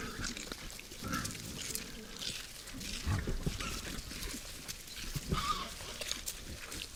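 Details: Short, low, throaty grunts from wild boars at a forest feeder after dark, a few spaced seconds apart, mixed with snuffling, chewing and rustling of the animals moving close by.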